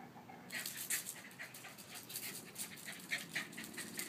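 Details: Five-year-old Westie named Scooter, playful as a puppy, dashing around a pool; steady, fast, breathy huffs repeating several times a second throughout.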